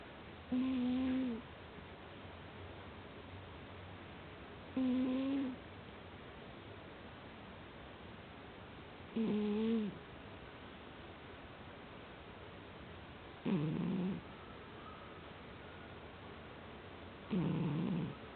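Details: Soundly sleeping cat giving five snores roughly every four seconds; earlier ones smooth and tonal with a small rise, the last two rougher and breathier, over constant faint room hiss.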